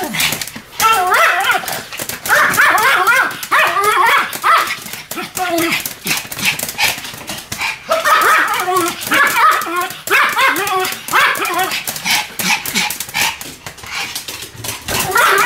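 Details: Pomeranians Sam and Marin duet barking: dense bursts of high, rapid yapping in clustered volleys, with short lulls near the start and around eight seconds, and a voice-like murmur mixed in.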